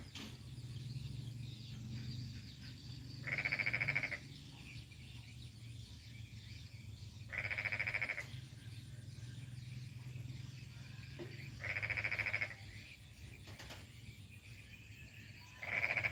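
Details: Frog in rural Kampung Baru Mangkupadi, North Kalimantan, on a morning: four separate bursts of rapid, rattling pulsed croaks, each under a second, recurring roughly every four seconds over a steady low hum.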